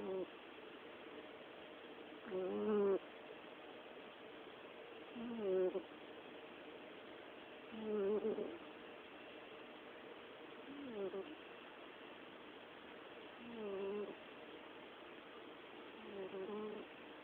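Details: An orange cat asleep, giving a coo-purr-snore: six soft, humming, harmonic swells, each rising then falling and spaced about three seconds apart, over a quiet steady background hiss.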